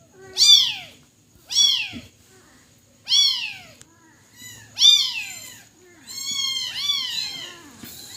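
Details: Young kitten crying in a string of high, descending meows, four sharp cries followed by a longer, wavering drawn-out wail near the end.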